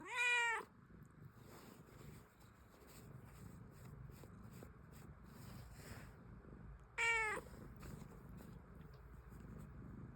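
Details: Domestic cat giving two loud, harmonic meows, one at the start and another about seven seconds later, each under a second long with a slightly falling pitch, set against quiet low room noise.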